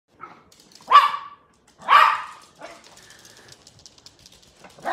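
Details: Yorkshire Terrier, a small dog, barking on seeing a squirrel: two sharp barks about a second apart, then softer whines and a last bark, with a person asking whether it wants to go outside.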